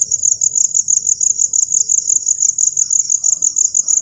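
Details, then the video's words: Crickets heard after rainfall: a piercing high trill made of quick pulses grouped in regular bursts roughly five times a second, over faint low background noise. "crickets making sound after rainfall"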